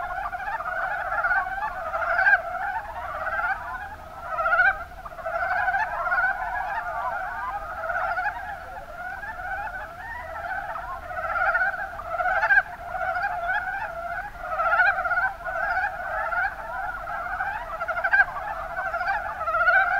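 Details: Extended Mountain brown frog (Rana ornativentris) chorus from the Kuma Basin, Kumamoto, Japan; many frogs produce overlapping rapid chuckling croaks without pause, intensity rising and falling in waves, a few clicks cutting through.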